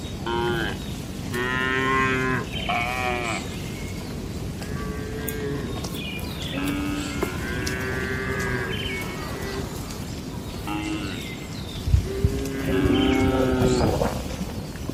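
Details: Several tame cattle eating and gathering in a farm barn give repeated, overlapping moos across fifteen seconds, some steady and some bending in pitch, over a continuous low rumble of barn activity.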